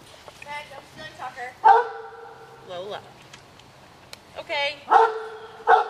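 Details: Pet dogs waiting at afternoon snack time give short, high-pitched yipping barks with ringing tones. The barks come in quick bursts around two seconds and near the end. A person talks to the dogs almost throughout.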